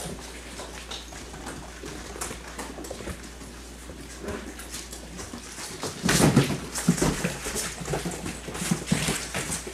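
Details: Yellow and black Labrador Retriever puppies, six weeks and one day old, running and playing indoors at a kennel. A short rough growl bursts out near the middle over steady scrabbling of paws and scattered clicks, followed by softer grumbling.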